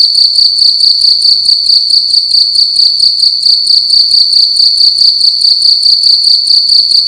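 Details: Cricket making loud noise in a room during the night: a sharp, high, buzzy trill pulsing rapidly and regularly, loud and constant from start to finish, with only faint low-pitched room noise underneath.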